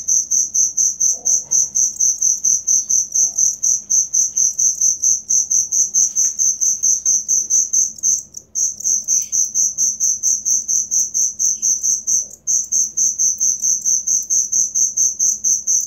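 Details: Real cricket sound used to tutor caged songbirds: a continuous run of shrill, high-pitched pulsed chirps, roughly two per second, briefly breaking off twice, over a faint low background hum.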